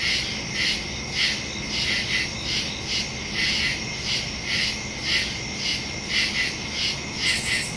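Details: A chorus of crickets in the woods after dark, September 2, 2023, recorded by phone (Samsung Galaxy S22 Ultra, Shure MV88+ stereo mic); bright, rhythmic chirps repeat in uneven clusters against a continuous high-pitched buzz.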